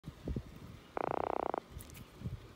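An Atlantic croaker gives a brief, rapid run of knocking pulses that merge into a croaking drum.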